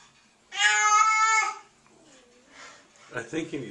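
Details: Kitten being gently washed with water, seemingly frightened, gives one long, steady, high meow of about a second with rich overtones, followed by quiet room sound and soft human speech.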